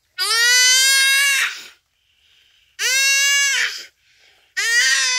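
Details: Dying common duiker calling out as a cheetah kills it at Phinda Private Game Reserve on a rainy afternoon: three long, loud, strained bleats, each over a second, with a steady nasal tone and brief quiet gaps between.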